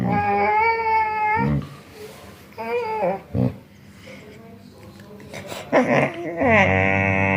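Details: Rescued dogs making funny vocal sounds indoors: bursts of wavering, whiny, yodel-like cries with rising and falling pitch, separated by short pauses, and a human voice speaking briefly between them.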